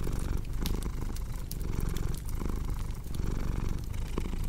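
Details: Cat purring in a thick, buzzing rumble with clear breath-by-breath swells, accompanied by the crackle and snap of a fireplace.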